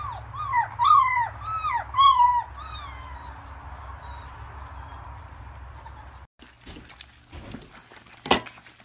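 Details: Labrador Retriever puppies in Delhi, India: a run of high, downward-sliding whimpering yelps with rich overtones in the first three seconds, then fading whines, a low steady hum throughout and a sharp knock near the end.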